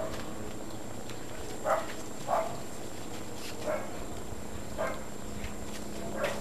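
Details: Great Dane puppies, 52 to 56 days old, from litters "O" and "N" at Baia delle Sirene Breeding in Italy; five short, mid-pitched yelps or whimpers spaced about a second apart over a steady low background hum.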